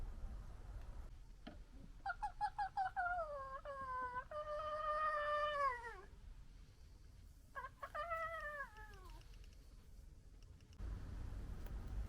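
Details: Members of a local fox family in a noisy argument give rapid, stacked, harmonic whining cries that waver and droop in pitch. A second, shorter burst of similar wails follows after a pause, over a steady low hum.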